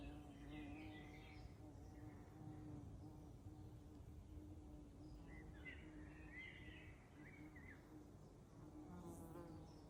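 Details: Flies buzzing in a young-leaved spring forest on a May evening, recorded 1 May 2026: a steady low droning hum with faint overtones runs throughout, while scattered bird chirps and short warbled phrases sound farther off over soft rustling background.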